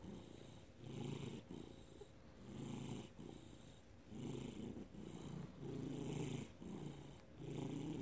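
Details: Domestic cat named Felix, recorded in May 2019, purring in a steady low rumble that swells and fades with each breath, roughly every second and a half, with soft breathy hiss on the exhales.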